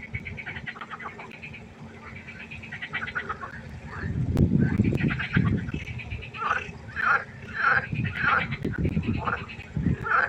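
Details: Frog chorus at night by a pond: many overlapping pulsed, rattling croaks, dense and continuous, growing louder midway, with a low rumble underneath.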